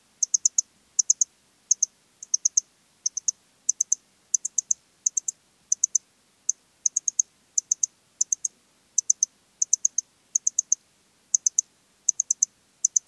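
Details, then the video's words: Modicogryllus frontalis, the Eastern Stripe-headed Cricket, recorded in Puntigam, Austria, in June 2022: a steady series of high, shrill pulsed chirps, mostly three to four pulses each, spaced a little over half a second apart over a quiet background. "Modicogryllus frontalis -- Östliche Grille -- Eastern Stripe-headed Cricket"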